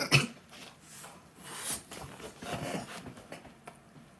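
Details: A male French Bulldog makes odd, alien-like raspy snorts, throaty grumbles and "howls", begging for McDonald's food that he has craved since he once stole a single fry.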